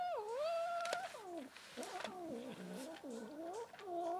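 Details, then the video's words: White domestic cat, angry at being touched, gives loud drawn-out wavering yowls and moans that slide up and down. The cries come in several bends across four seconds, with short gaps between them, indoors. "This white cat gets angry when I touch her"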